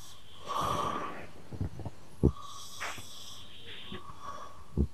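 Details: Ragdoll cat snoring at home, its snores seeming to answer a man snoring nearby; low rumbling breaths with short thumping snorts around two and five seconds, plus hissy airy exhalations and faint whistling tones.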